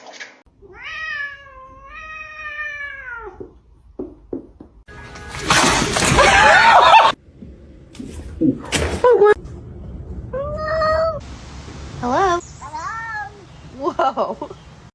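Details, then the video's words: Domestic kitten with a long drawn-out meow at the start, then short chirpy meows later, separated by a loud rustling, crackling burst and people talking indoors. "kitten meowing call"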